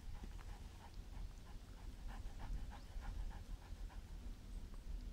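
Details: Dog named Marshal von Hause Sommer during protection training on 08.09.2014, panting in quick, steady breaths roughly three times a second over a constant low rumble of wind and background noise.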